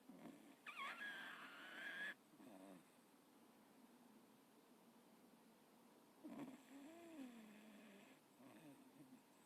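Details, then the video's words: Michaelangelo, a Jack Russell Terrier, snores while asleep indoors. Wheezy breaths come in uneven bursts, some with a thin, whistling rise and fall. Quieter, raspy breathing sits between the louder snores. "Super Sweet Snoring Michaelangelo Jack Russell"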